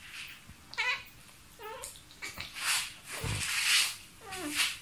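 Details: Vocal pet cat meowing as if talking to a mosquito: three short, falling, harmonic meows spread over five seconds, with breathy noise bursts and quiet room background between them.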